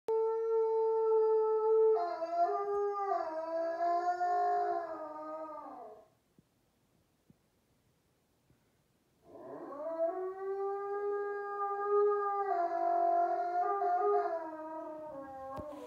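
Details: Wolfdog howling in its sleep at midnight while dreaming, indoors: two long, wavering tonal howls, the first about six seconds with rising and falling pitch steps, then a short silence before a second sustained howl.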